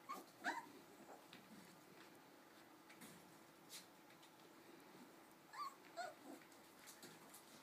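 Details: Four-week-old Cardigan Welsh Corgi puppies giving short, thin, high squeaky whimpers, a pair of cries right at the start and another cluster about six seconds in, separated by quiet stretches of low room hiss.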